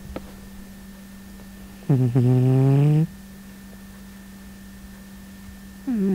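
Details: A cat snoring: a low, droning, nasal snore lasting about a second, with the start of another at the end, over a steady electrical hum.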